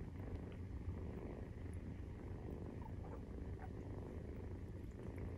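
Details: Deep continuous purring from a nursing Maine Coon kitten aged 43 days, an even low rumble with soft faint clicks over it.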